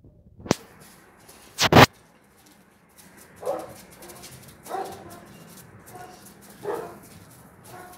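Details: Central Asian Shepherd Dog (Alabai) puppies, 3.5 months old, give short, mid-pitched yelps at irregular intervals after a few sharp clacks.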